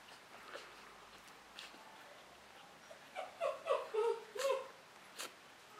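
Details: Nine-day-old Lakeland Terrier pups, August 2017: after near silence, a quick run of five or six short, squeaky whimpers crowds between three and five seconds, each a brief high tonal yelp, followed by a faint click in a quiet room.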